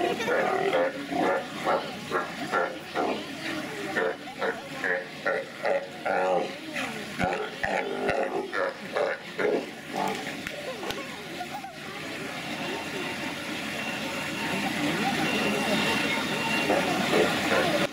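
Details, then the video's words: Sea lions giving fart-like noises: rapid short spluttering pulses about twice per second for the first half, fading into a steady wash of crowd-like background noise. "Sea Lions Making Fart Noise"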